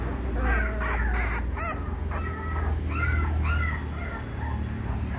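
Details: Three 20-day-old pure-bred female Labrador Retriever puppies; a run of short, high, squeaky yelps with bright overtones, several quick notes clustered at the start and more around the middle, over steady low rumbling background noise.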